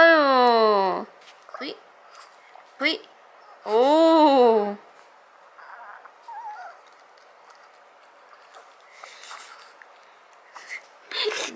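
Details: Janggun, a seven-year-old male Maltese, vocalising while practising a talent-show trick: two drawn-out, moaning, howl-like notes, the first sliding downward, the second rising then falling, followed by faint murmurs and soft rustling in a quiet room.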